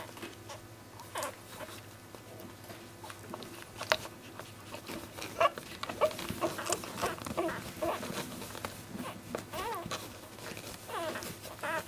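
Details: Newborn basenji puppies from litter B in their first week, nursing and squirming. Scattered short, high squeaky whimpers, a few with wavering pitch, over a steady low hum with soft patter and shuffling.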